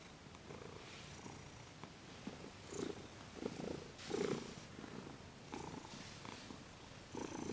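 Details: Purring from Thomas, a cat with sensitive paws being massaged, December 28, 2021; steady low rumble in breath-paced bursts, a few louder swells mid-clip, faint rustling of hands on fur.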